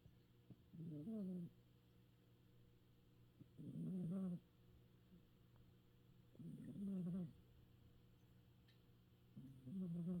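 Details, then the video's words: Sleeping cat snoring with twitching whiskers; four low, buzzy breaths repeat about every three seconds, each a short rough drone with a slight rise, steady and rhythmic against a quiet room. "Kitty snores and whisker twitches"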